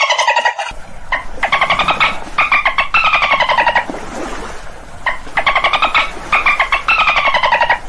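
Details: Dolphin calls: bursts of rapid buzzy pulses with bright harmonic bands, each gliding slightly downward, in groups of about a second separated by short pauses, with a quieter gap midway and faint low background noise.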